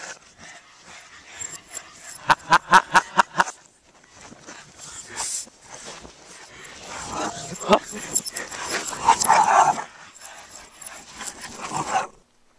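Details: Two Boston Terriers, long-time buddies, in a playful chase: a quick burst of about six sharp barks close together early on, followed by scuffling, rustling noise and a few scattered, rougher bark-like sounds.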